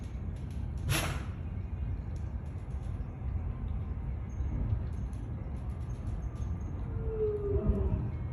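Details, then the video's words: Lion sneezing: one sharp, explosive burst of breathy noise early on, sweeping from deep rumble to high hiss, then a steady low rumbling background with faint distant chirps and a brief tonal whine near the end. "Lion Sneeze"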